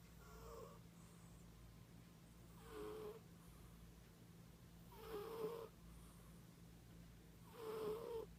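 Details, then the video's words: Loud snoring from a female cat asleep indoors: three soft, breathy snores spaced about two and a half seconds apart over a steady low hum. "SNORING CAT"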